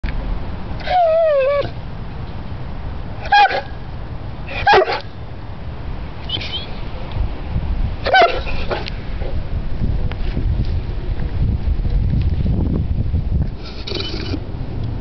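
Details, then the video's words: Saint Bernard dog 'talking': brief wavering, whine-like vocal bursts that dip and rise in pitch, about six spread across the recording, over a steady low rumbling background. "King Kong talk"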